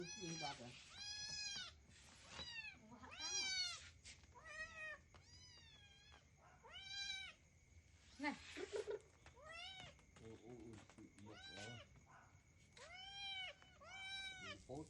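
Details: Hungry kitten clinging to its owner's shirt to beg for rice at feeding time, giving loud arched meows repeated about every second, some doubled, with a steady high electrical whine behind.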